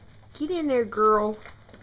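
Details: Two-week-old Doberman puppies from Bella and Mopar's first litter, eyes newly open, finding their barks: a drawn-out tonal whine slides downward in pitch, then a short, steady, rich-toned note follows before quiet returns.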